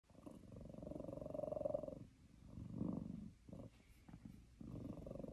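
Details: Domestic male cat purring while sitting on its owner's lap, annoyed at getting fewer treats than he wants; low rumbling purr in long pulsing phrases with short breaks between breaths, quiet indoor setting.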